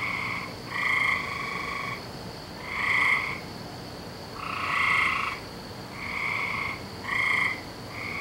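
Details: Frogs calling on a May night, dated May 17th 2012: a steady chorus of drawn-out trilling croaks with bands near 1 and 2 kilohertz-range harmonics, bursts about a second long repeating every one to two seconds, overlapping callers.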